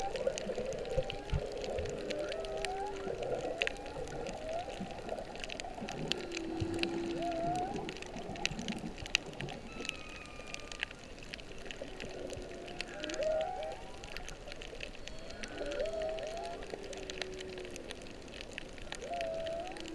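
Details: Whales sing underwater off Kihei, Maui, near Kam 3 beach on March 15, 2016, late in the whale season, possibly while birthing. A snorkeler's GoPro caught moans, whoops and upswept tonal notes over a crackling, hissing sea, with dolphin sounds also present.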